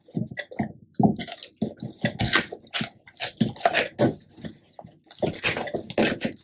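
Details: Two male Labrador Retrievers, black Tico and yellow Remi, fed raw duck necks and homemade duck neck jerky; chunky, irregular crunches and squishy bites in short bursts with brief pauses between.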